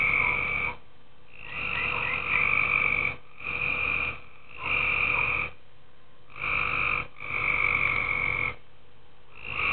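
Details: Several tree frogs in a pool at night, croaking in a near-continuous run of six raspy, droning bursts of uneven length, the gaps between them brief and irregular.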